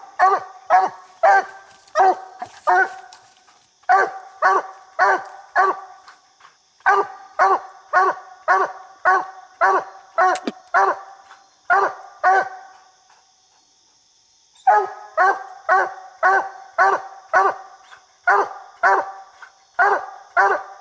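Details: A coonhound barking at a raccoon it has treed in a small tree while coon hunting, about 70 barks a minute; loud, harmonic chop barks in rapid steady runs, with one brief pause of about two seconds.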